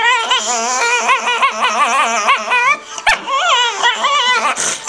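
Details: Female dog producing continuous high, wavering whines and yelps, each note bending up and down in quick succession, with a brief sharp click near the middle and no other clear sounds.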